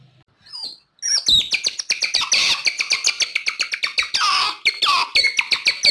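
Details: Calls of an otter, used as a lure for wild otters: after a brief quiet squeak, a dense, continuous stream of piercing chirps and twittering squeals follows, with rapid pitch bends and no pauses.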